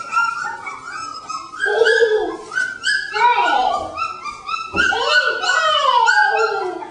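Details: Litter of three-week-old puppies in their enlarged pen, exploring it for the first time; a continuous chorus of overlapping high whimpers, squeaks and yelps with falling and rising pitch, and a person talking nearby.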